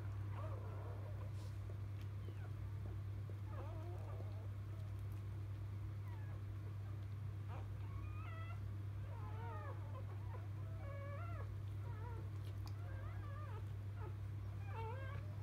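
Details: Newborn field-type Labrador Retriever puppies just delivered by biscuit, 2017 JFA Grand Champion; quiet at first, then short squeaky whimpers and warbling cries grow frequent in the second half, low hum constant.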